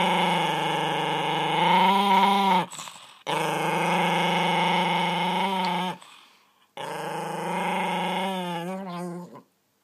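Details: Dexter, a miniature pinscher kept indoors as a pet, growls in three long, steady rumbling bouts of two to three seconds each, separated by short pauses, with the growl wavering and rising toward the end of each bout.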